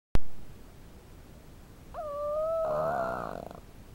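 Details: A 5-month-old female Boston terrier snores asleep on her owner's lap. A steady, reedy nasal whistle merges into a short, rasping snore, then fades in a quiet room.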